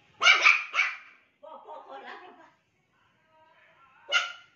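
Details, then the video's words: Pet Pomeranian barking at a washing lady arriving at the house: two sharp, high, harsh barks in quick succession at the start, a single bark near the end, and a soft human voice murmuring in the quiet gap between. "Pomeranian voice when women comes so cute 😊 // dog barking so cute funny"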